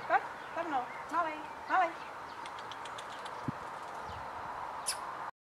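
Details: Six-week-old male Kleinspitz puppy giving three short, rising-and-falling whining yelps within the first two seconds, followed by near quiet with a few faint clicks and knocks.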